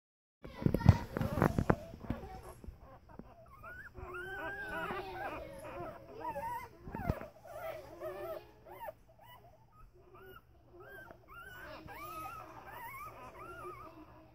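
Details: Five-day-old corgi puppies born November 6, 2015: a few heavy thumps at the start, then overlapping thin squeaky whines that rise and fall, several pups calling at once in short repeated bursts.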